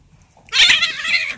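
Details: Female cat refusing a male cat's mating advances; a sudden loud, high, strained wail that rises sharply and then holds with a wavering tone for about a second.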